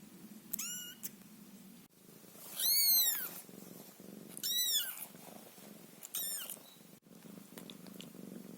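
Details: Ginger Scottish Fold kitten Caramel, very young with eyes just slightly open, purrs with a soft steady low hum beneath four high, arching mews spaced across the clip, indoors.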